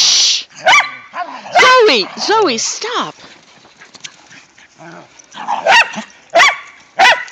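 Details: Whippets and a rat terrier romping in the season's first light snow: arching whiny yelps that rise and fall come first, then a quieter spell, then three separate sharp barks near the end.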